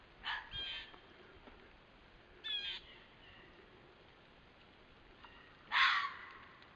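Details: A red fox gives harsh, hoarse alarm barks, spaced a few seconds apart; recorded September 12, 2015.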